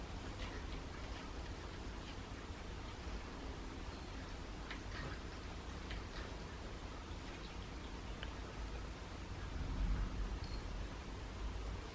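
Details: Steady low rumbling room noise with scattered faint soft clicks and rustles, and no animal voice.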